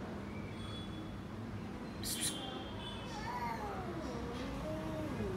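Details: Cat giving a few soft, wavering meows that rise and fall in pitch, faint against steady indoor background hum while a person calls to it.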